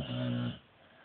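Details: Female dog asleep indoors, snoring like a person; one low, steady, buzzing snore lasting half a second, then quiet room tone.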